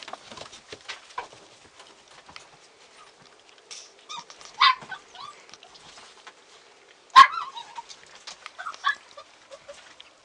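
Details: A Border Collie at mealtime gives a couple of sharp barks and soft whimpers between clattering feeding noises.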